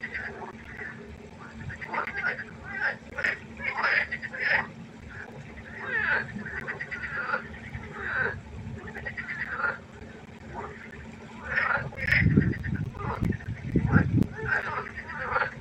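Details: Frog concert at night beside a pond, rapid repeated croaks from many callers overlapping continuously, joined near the end by a few deeper low croaks.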